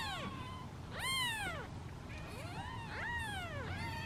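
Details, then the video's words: Hungry domestic kittens, among seven sitting in a basket waiting their turn at feeding time, give high, arching meows that overlap, rising then falling, with about four cries packed into four seconds over a low indoor rumble. "Impatient Meows of Kittens"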